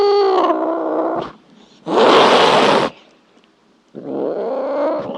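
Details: Cat making a low growling yowl, then an abrupt loud hiss, then another drawn-out growly moan.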